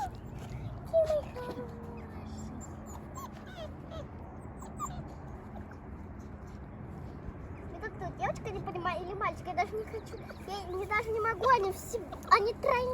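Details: Young wolf pups from a small group of rescued wild animals, whining and yipping in a burst of short, wavering high cries that thicken toward the end, after a quiet stretch, with human speech and background noise.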